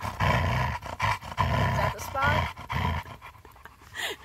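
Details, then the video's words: Happy female Siberian Husky growling while being lovingly petted: deep, rumbling growls in rhythmic bursts about every half second, with a brief human voice in between. "Funny Husky Growls When Getting Loved On"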